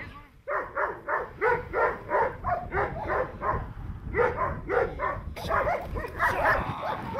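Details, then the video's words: Presa Canario barking in protection training, a fast regular series of rough, gruff barks about a second apart, turning into a louder, noisier burst mixed with shouting near the end. "Presa Canario real protection training"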